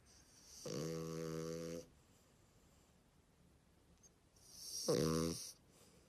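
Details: French Bulldog giving two snorting, grumbling grunts about four seconds apart, each a raspy nasal rumble with a buzzy hiss on top, the first lasting over a second and the second shorter, quiet pauses between.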